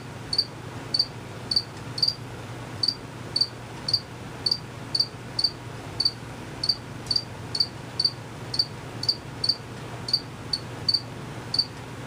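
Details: Unseen male crickets chirping: brief high clicks, often doubled, at roughly two per second, fairly regular, over a soft constant low background hum.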